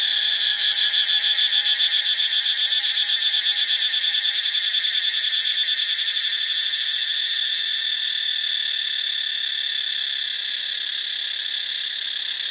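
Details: Cicada chorus from Ubon Ratchathani, Thailand: an intense, high, metallic whine. For the first six seconds it has a fast throbbing pulse on top, then it settles into an even, unbroken buzz.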